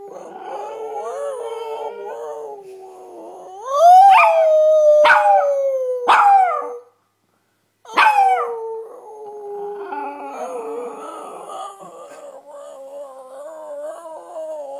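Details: Chihuahua mix howls alongside its owner. A soft, murmuring lead-in swells into a loud rising cry punctuated by sharp yips. After a pause comes a descending wail that trails into quieter, wobbling tones.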